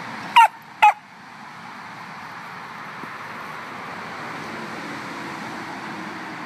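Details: A little puppy gives two short, sharp, high barks in quick succession at the start, followed by about five seconds of steady low background hum.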